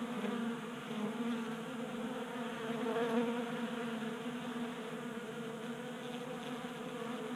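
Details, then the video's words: Honey bees feeding at a 3D printed tabletop feeder in a garage workshop in Colorado during a warm January spell. A steady layered buzz of many wings hums continuously, with harmonic bands and slight swells in loudness. "45 Minutes of Honey Bees Feasting from 3D Printed Bee Feeder"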